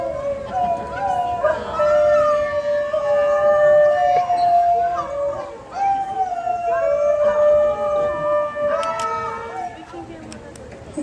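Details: Several New Guinea singing dogs in a zoo show singing together with their pack; long tonal, wavering howls that slide up and down and overlap in a sustained chorus, with background music and clapping.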